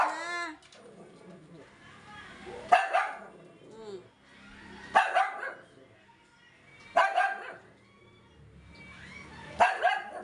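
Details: Yorkshire Terrier giving sharp barks roughly every two seconds, four main bursts, with a woman talking and cooing between them indoors.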